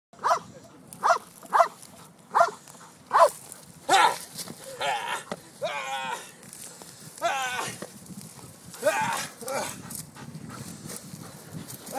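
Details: Malinois dog: short, sharp barks spaced under a second apart for about four seconds, then longer wavering whine-like howls with warbling pitch, separated by brief pauses.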